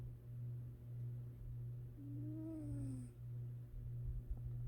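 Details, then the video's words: Sleeping domestic cat napping and snoring gently. One soft whistled breath sound rises and falls over about a second, layered on a steady low hum. "gentle kitty snores"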